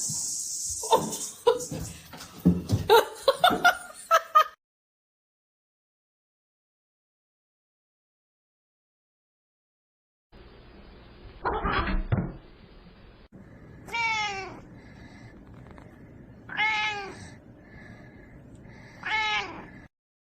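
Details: Pet cat in a funny cats compilation. Speech and laughter come first, then a pause. Three clear, drawn-out meows follow, each rising then falling and spaced about two and a half seconds apart, over a faint steady hum.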